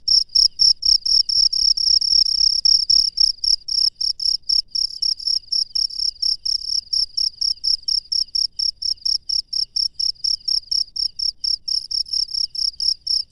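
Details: Night chirping of a wild cricket: shrill pulsed trills, densely packed at first, then settling into cleaner, evenly spaced chirps around two per second as a low background rumble fades after three seconds.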